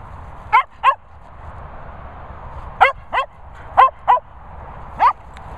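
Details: Barking from the three Cocker Spaniels Finlay, Murphy and Willow: quick high yaps, mostly in pairs, with pauses of about a second between bursts, against steady low background noise.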